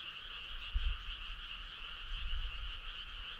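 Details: A summer-night chorus of frogs, continuous pulsing croaks layered into a steady buzzing drone, faint against a soft low rumble with a brief thump near the start.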